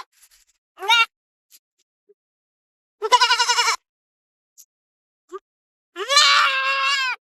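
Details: Goats feeding in forest and field give three bleats: one short, one tremulous, and a final longer bleat that wavers. Faint clicks and small noises are heard between calls.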